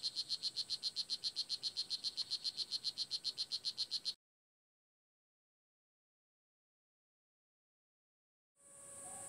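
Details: Male blue jeans poison dart frog, tiny rainforest-floor dweller in Nicaragua, calling to a mate or rival males; a quick string of high chirps about four per second for four seconds, then silence and a brief burst of noise.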